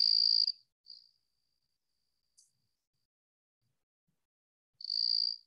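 A southeastern field cricket sings a pure, musical, high-pitched trill in bursts separated by silence.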